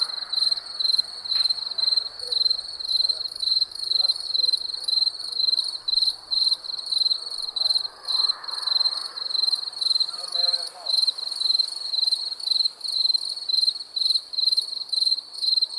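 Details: Crickets chirping at night, a steady high trilled pulse repeated in short bursts roughly twice a second, with a faint ringing overtone above and soft low murmurs and rustles in the background.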